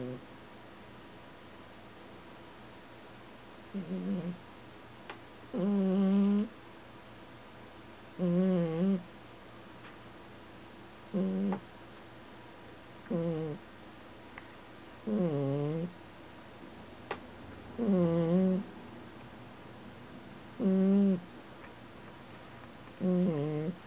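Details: Sleeping Heloise, the tiniest cat in the household yet its loudest snorer, gives a steady run of buzzy, wavering snores roughly every two to three seconds, about ten breaths in all, in a quiet indoor room.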